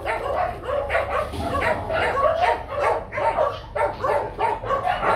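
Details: Barking from a Rottweiler at the Gervi kennel, where young male breeding dog Nano is moulting; a steady run of rough, mid-pitched barks, roughly two per second, with some overlapping one another.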